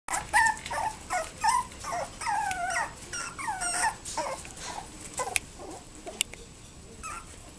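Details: A 60-day-old toy poodle puppy gives high, wavering whimpers and yips in quick, uneven bursts.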